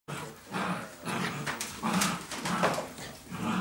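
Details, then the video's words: Barbet puppies at nine weeks old, several together indoors on their last evening before parting, making a noisy festive racket: overlapping short yips and barks in bursts roughly every half second, with soft whines between. "Barbet puppies at 9 weeks old"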